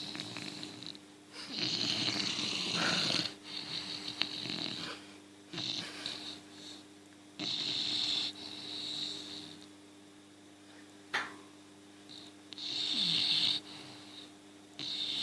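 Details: A sleeping English Bulldog snores loudly, with a rasping, whistling breath roughly every three seconds, its tongue out and spasming.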